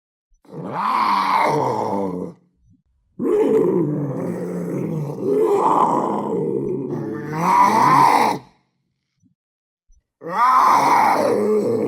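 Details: Panther giving four long, deep, harmonic roaring growls, each about two seconds, separated by short silences; rough, groaning tone that swells and fades, with no other sounds.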